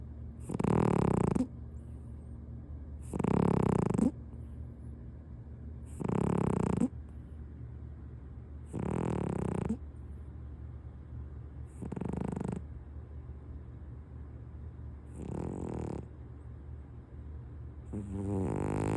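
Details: Punk, a pet cat, dozing on a lap over a kotatsu blanket, gives loud snores: seven deep, rattling, rumbling breaths roughly every three seconds that grow gradually softer toward the end.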